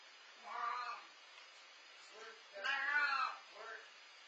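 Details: Feral cat Leo meowing right before bedtime, two drawn-out harmonic meows, the second louder and longer, each followed by a softer short meow-like sound, with a quiet steady background hum.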